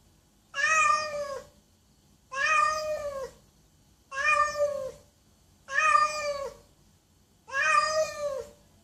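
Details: Five loud, evenly spaced cat meows, each nearly a second long with strong harmonics and a slightly bending pitch, repeated about every one and a half seconds.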